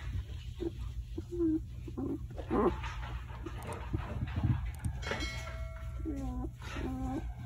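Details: A five-day-old German Shepherd puppy, a singleton of show-line West German bloodline, gives short whining squeaks followed by longer high whistled whimpers with stepped pitch, over a steady low hum and brief human voice.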